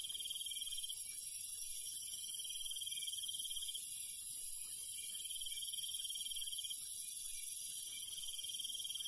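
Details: Countryside crickets at night: a high, shrill pulsed chirp runs almost continuously in long trills, backed by a steady wash of other insect buzzing.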